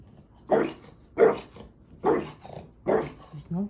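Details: French Bulldog Maui barking at nothing, as if at a ghost, while told nobody is there: four punchy barks spaced a little under a second apart, with quiet speech between them.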